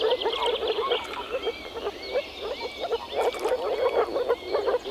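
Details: Breeding moor frogs in early spring, males croaking from a forest pond while mating: soft hollow pulses in rapid irregular runs, about three a second, overlaid by faint short whistles from birds.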